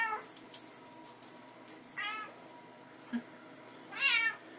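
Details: Indoors in a hallway, Bengal kittens play with their mother and a teaser; three clear, harmonic meows about two seconds apart, each arching up then down, with bright tinkling rattle sounds throughout.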